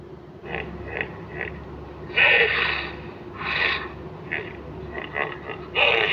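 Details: Hippo snorting: several short breathy puffs at first, then longer, louder rushing blasts of air, followed by a few quick puffs and a final forceful snort.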